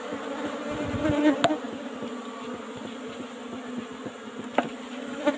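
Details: Asian honey bees swarming over their old-style box hive as honey is harvested; a continuous humming drone with steady tonal bands, broken by a few sharp clicks and taps.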